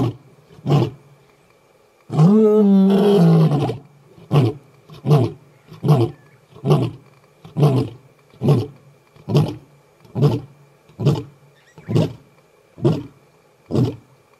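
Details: At MalaMala Game Reserve a Northern Avoca male lion roars a challenge at the Gowrie males: one drawn-out swelling moan, then a run of about fourteen deep, evenly spaced grunts, slowing slightly toward the end.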